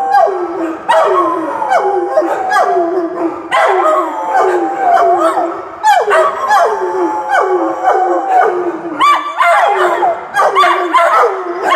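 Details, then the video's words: Several dogs in a group howl, each voice starting high and gliding down into a sustained wail, repeated in waves every second or two with yips breaking in between. "Howling Buddies"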